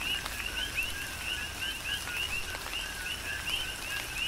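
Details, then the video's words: Several coquis on the Big Island of Hawaii calling through a rain shower, their crisp rising chirps following a short lower note, repeated every fraction of a second against steady rain patter. "Tropical Rain & Coqui"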